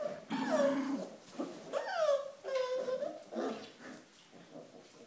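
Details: A corgi by the Volga, with a sponge, gives a string of tonal, whiny yowls that swoop up and down, with short breaks between.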